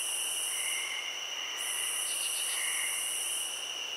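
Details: A steady cricket chorus of high, unbroken trilling tones, with a shrill upper buzz that drops out briefly and returns, and a few faint lower chirps near the middle and end.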